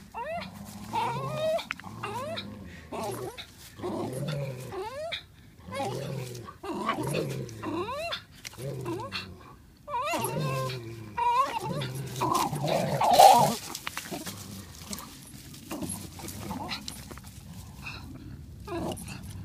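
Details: Parson Russell Terrier playfully fighting a Swiss mountain dog for a ball; rapid series of short whining yips and squeals, tightly repeated for long stretches, with a louder burst near the middle and faint voices behind.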